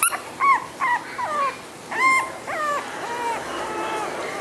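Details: A flat-nosed male Shih Tzu gives a run of short, high, nasal whines, each note bending up then sliding down.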